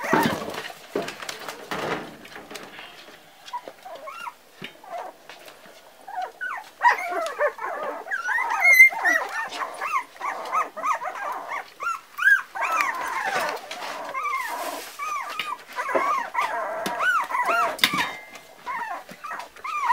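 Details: Four-week-old Parson Russell Terrier puppies give thin, arching whines and yips, many bending up then down in pitch, overlapping through most of the recording, with a clatter of handling noise at the start.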